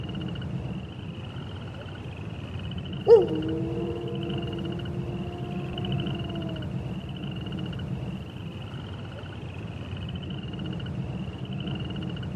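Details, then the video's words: One long, steady wolf howl starts abruptly and holds a level pitch for several seconds before fading. Before and after, only a constant high insect-like hum and low background rumble. "Wolf Sounds"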